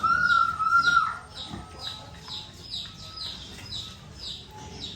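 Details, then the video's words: Piglets on a rural pig farm: a loud, steady, high squeal holds for about a second, then fades into a rapid series of thin, high, downward-sliding peeps from other animals, with faint tonal squeaks behind. "So cute little piglets, piglets in pig farm"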